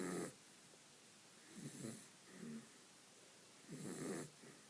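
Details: Dog called Vinny sleeping and snoring, three low buzzy rattles separated by quiet breaths.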